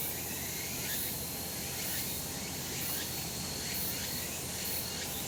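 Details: Sunlit summer mountain in Japan, where cicadas keep up a loud steady high-pitched drone with soft pulses near once a second and a faint thin whistle, against a low rural rumble.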